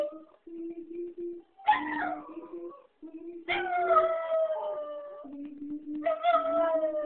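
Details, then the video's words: Six-month-old female Jack Russell Terrier howls back at a playback of her own howling; long sliding howls with rich overtones rise and then slowly fall, layered over the flatter, steady tones of the recorded howl. "Jack Russell howls"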